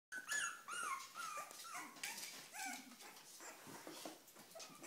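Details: Cavalier King Charles Spaniel whimpering, eager to eat: a run of thin, high whines, some sliding downward, others short and squeaky, closely spaced over a few seconds with some room noise.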